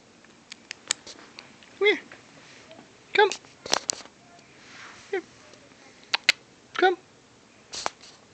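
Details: Tiger, a puppy dog called Tiggy, gives short tonal whimpering yelps rich in overtones, four clear ones spaced one to two seconds apart, mixed with sharp clicks and a person's voice calling it to come.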